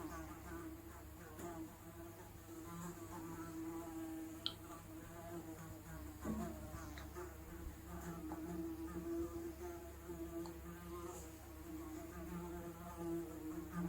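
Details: Housefly wingbeat drone, unprocessed analog recording; continuous low hum with stacked harmonics, wavering slightly in pitch as the fly moves, with a few faint clicks.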